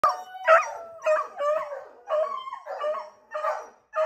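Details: Pet beagles howl while one of their owners steps outside for a minute: drawn-out, wavering bays in separate bursts, each sliding and breaking, with brief silences between them.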